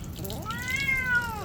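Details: Pet cat that dislikes being bathed, meowing during bath time: one long drawn-out meow that rises, holds steady, then slides down, over a low background hum.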